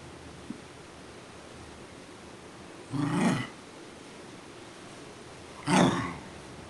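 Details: Pet Scottish Terrier Duffy requesting breakfast with two rough, growly moans, the second louder and sharper, about three seconds apart; steady low household hum beneath.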